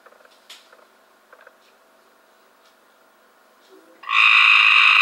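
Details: Cope's gray treefrog caught from a backyard swimming pool in 2015: after four seconds of near silence with faint scattered ticks, a loud, harsh buzzing trill with stacked harmonic bands bursts in and continues to the end.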